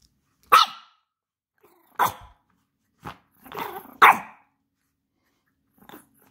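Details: Chihuahua picking toys from a toy box gives sharp, high barks: four loud single yaps about a second or more apart, with a softer rough grumble between them in an otherwise quiet room.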